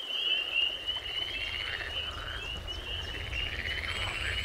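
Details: Spring peepers, calling males in spring in wooded, grassy lowlands near ponds and swamps of Canada and the United States, at night: a dense chorus of high, thin whistled peeps blending into a shimmering, sleigh-bell-like wash, with low rumble beneath.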